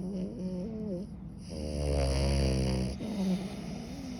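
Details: French Bulldog asleep indoors, snoring loudly: low, rumbling rasps with a long buzzing snore in the middle, softer nasal breaths before and after in a quiet small room.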